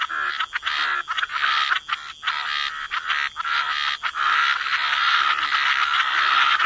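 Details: Wetland frogs croaking densely: raspy overlapping calls merging into a nearly continuous grating chorus, with brief gaps early on and a sustained dense wall of croaks toward the end.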